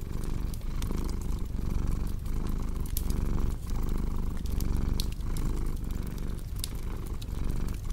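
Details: Steady purring from a cat, a low vibrating rumble swelling with each inhale and exhale, accompanied by crackling, popping firewood throughout.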